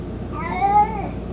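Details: Mico, an 18-year-old domestic cat, mostly blind and chubby, who loves carrying his toy mouse, gives a single drawn-out meow that rises slightly and falls, with clear harmonic bands, indoors in a quiet room.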